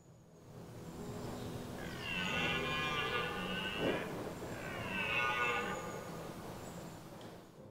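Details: Red deer (Cervus elaphus) stag circling his harem of hinds in woods by a heath during an October rut, delayed by unseasonably warm weather: two long, deep, rasping rutting bellows, with afternoon wind rushing in the background.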